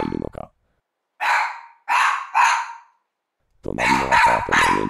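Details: Mameshiba, one year old, barking furiously out an open window at an empty street as a guard dog. Three loud, rasping barks about a second apart, followed by a man talking over further barking.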